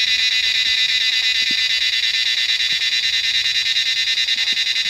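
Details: A large cicada chorus rings from trees in the Himalayan mountains during monsoon rains, an intense, high-pitched, evenly throbbing whine that never pauses, with occasional faint low knocks.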